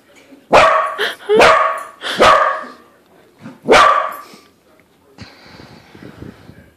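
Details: Pet corgi barking at a balloon shaped like a corgi: four loud, sharp barks in quick irregular succession, then a quieter rustling stretch to the end.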